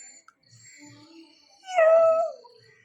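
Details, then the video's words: Nine-month-old pet dog named Chikku, born on 15 August, crying because father left without him; a single loud, high whine that swoops up sharply, then slides down and fades over about half a second, with a faint steady high tone behind. "അച്ഛൻ എന്നെ കൂട്ടാതെ പോയീ ..Crying in different ways"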